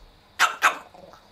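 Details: Enraged pet Chihuahua Kohaku reacts to its owner's snake-fist imitation with two loud, rasping barks about a quarter second apart, then quiet.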